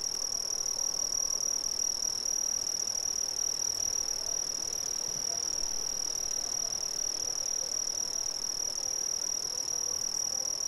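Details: Steady shrill chorus of Brazilian crickets, one sustained high ringing tone with a faint higher band above it, never pausing, with gentle broadband hiss underneath.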